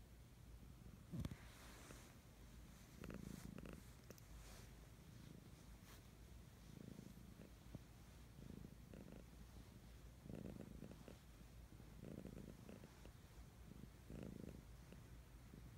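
A Siamese cat purrs steadily, a low rumbling vibration that swells and fades with each breath.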